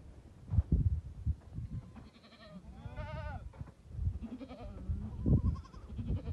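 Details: Bishi goats, a sale herd of 82 followed by 40 kids and three bucks at Duqa: a loud tremulous bleat rises mid-way, framed by quieter bleats, thumps and shuffling.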